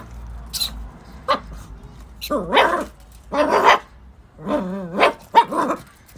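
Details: An 8-week-old Patterdale Terrier puppy, at play meant to build her confidence and prey drive, gives short high yips and harmonic barks in bursts, with quiet gaps and faint background hum between them.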